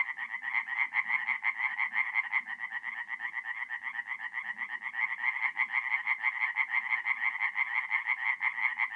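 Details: Mid-April night at a forest pond in north-east Italy: tree frogs sing a loud, unbroken chorus of quick, grating pulses, while softer, lower croaks of other frogs come and go beneath.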